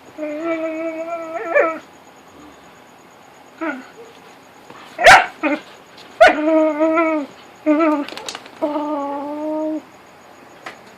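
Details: Whippets playing in the dark make funny noises: long harmonic whining calls held steady for a second or more, broken by sharp yips and scuffling bursts, with quiet pauses between.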